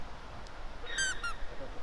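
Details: A deer on remote, mountainous Hokkaido, Japan, in summer (June–August), gives two brief, high, slightly falling nasal calls, the second shorter, over a low rumble of wind or distant noise; the deer were heard answering a person's call.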